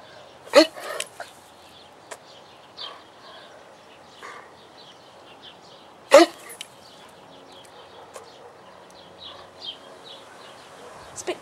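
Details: Bobo, a debarked dog, answers repeated commands to speak with two short, hoarse, broken barks about five seconds apart. Between them come fainter soft huffs and clicks, with a person's voice urging him on.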